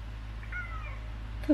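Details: Old, tiny orange cat that had been straying and came back home for napping and eating, during ear cleaning, gives one faint drawn-out meow that dips slightly in pitch, over a constant low hum, with a brief knock at the end.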